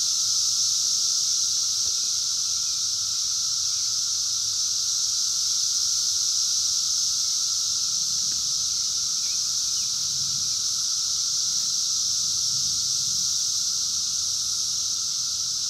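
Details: Continuous chorus of wild 17-year Brood X periodical cicadas in 2021, captured by phone: a loud, even, high-pitched hiss overlaid with a steady lower droning tone, unchanging throughout, faint low rumbles underneath.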